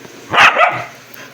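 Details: Aspin dog excited at feeding time, one quick double bark, a bright raspy yap followed at once by a shorter lower second note, then quiet room tone.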